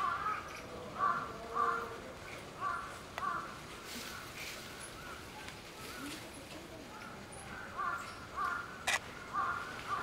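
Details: A common squirrel monkey mother and her baby at Tobu Zoo give brief, raspy, mid-pitched calls in irregular runs roughly every half second, over a soft background hum and faint voices.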